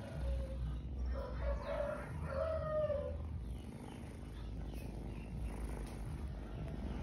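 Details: Cats of a family group, one voicing a run of short harmonic meows in the first three seconds, the last drawn out and gently wavering, then quieter, over a steady low rumble of background noise.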